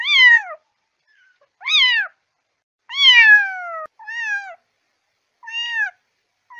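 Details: Kitten meows: two sharp descending mews, a long falling wail, then three softer, flatter mews trailing off, with quiet gaps between.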